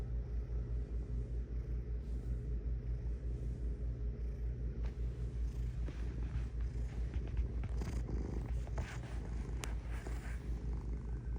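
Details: Domestic cat purring: a steady low rumble pulsing about two and a half times a second, continuous throughout, with faint rustling and brief clicks toward the end.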